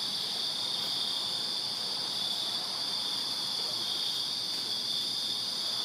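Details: Night chorus of crickets in a Virginia backyard in summer: one steady, piercing high trill layered with a thinner, higher overtone, unwavering throughout, with quiet surroundings.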